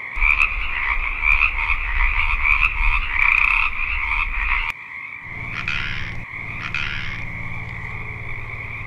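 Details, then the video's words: A dense chorus of male Pacific chorus frogs in a marsh in early spring, calling to attract mates. Many voices give quick two-part creaking krek-ek advertisement calls over a low rumble. "pacific chorus frogs"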